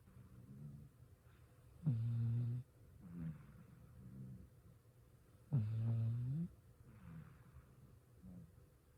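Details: Azuki, a six-year-old female former stray cat, asleep at home and snoring: deep low rumbling snores, two loud ones about three and a half seconds apart, with softer breathing snorts between them.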